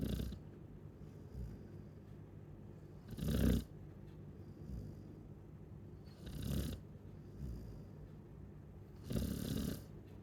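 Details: Chow Chow snoring while asleep: three loud, breathy rasping snores about three seconds apart, each swelling and fading over half a second, with soft low breathing between them.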